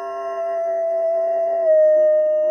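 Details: Golden retriever holding a long, steady howl at an even pitch for over two seconds, with a slight step down near the end.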